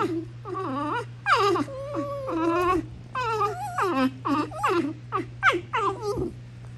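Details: Female Basenji putting on a tough act with wild-dog-style squealing: wavering, yodel-like squeals and whines, several rising and falling in pitch, in quick bursts, with a low steady hum behind.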